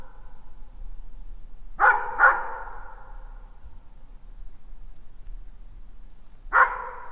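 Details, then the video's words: Dog giving sparse barks: two sharp harmonic barks close together, a long quiet gap with low background rumble, then a single bark near the end. "Sounds of dogs barking and howling"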